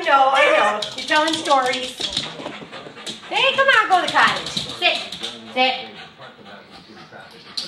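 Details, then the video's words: Excited howling from a four-year-old Border Terrier/Boston Terrier cross dog, told it is going to the cottage: a string of quavering, bending yowls, some short whimpery notes, over a person's voice in a small room. "Singing Dog"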